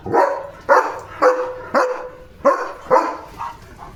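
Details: Leo, a German Shepherd, barks repeatedly after seeing another dog outside; six strong, slightly tonal barks about half a second apart with brief quiet gaps, one softer bark closing the run.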